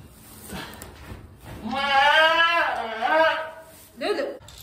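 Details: Goat giving birth on a homestead, letting out one long, wavering, nasal bleat of nearly two seconds, followed by a shorter, softer cry; faint human sounds in the background.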